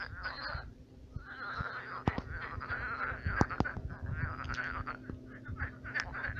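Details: Frogs croaking at night in a shrunken pond turned marsh, a rolling chorus of rattling croaks with sharp clicks scattered throughout and a steady low hum beneath.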